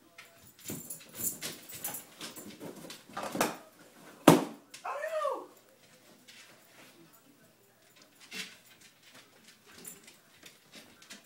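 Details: Reckless, a miniature bull terrier, playing with leftover party balloons: scuffling and rubbing, then a sharp bang followed by a short, bending whine, after which only quiet scrapes and shuffles remain.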